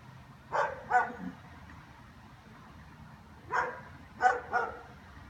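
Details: Several German Shepherds keep up afternoon-long barking: two short bursts of loud, abrupt barks, a pair and then three quick ones, with a faint low hum between.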